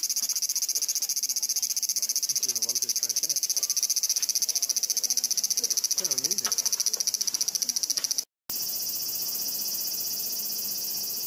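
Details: A loud chorus of cicadas in a Japanese summer in 2014, claimed to exceed 120 dB, makes a dense, high, steady buzzing hiss that fills the air without pause.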